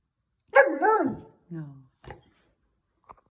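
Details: Saint Bernard 'talking' indoors: a long wavering, moaning yowl that rises and falls like speech, followed by a lower drawn-out groan and a short huff, in a small quiet room.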